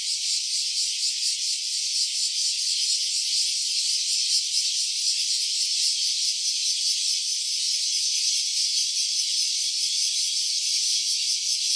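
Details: Stereo recording of a cicada on an OPPO Reno A phone: an unbroken shrill buzz with a faint shimmering throb, even in loudness from start to finish, nothing else audible.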